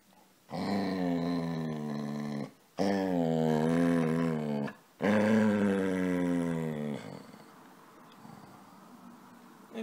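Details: Three long, insistent, low moaning grumbles, each about two seconds with a wavering pitch, come from Casy the dog as it plays and asks to be petted, followed by quieter shuffling.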